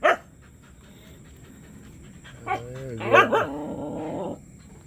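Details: A six-month-old agouti Siberian Husky gives a drawn-out, moaning 'talking' call that wavers up and down in pitch.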